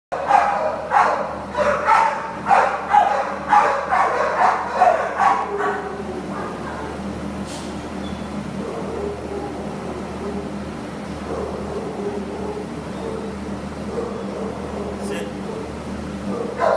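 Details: Great Dane named Edward, up for adoption on 29 May 2015, barks in a quick run of deep barks, about two a second for five seconds, then falls silent over a steady low mechanical hum.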